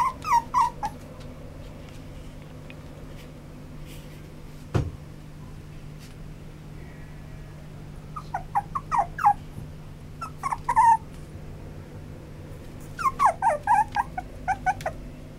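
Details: A white male Toy Poodle whimpers and yips in scattered bursts of rapid, high, descending cries separated by quiet gaps, with one sharp knock and a constant low electrical hum indoors.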